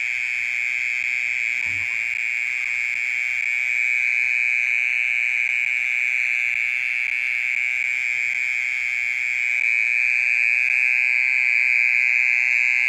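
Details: At night a mole cricket sings on and on, its unbroken high buzzing trill holding one pitch throughout and swelling a little in volume; a single soft low thump sounds near the start.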